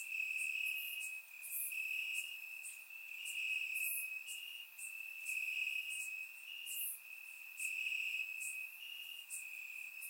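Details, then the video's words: A nighttime cricket chorus in Bulgarian grass on a warm summer night, surround recording; a high steady trill broken into short bursts, with loud higher chirps popping out every second or two. "Crickets Chirping at Night"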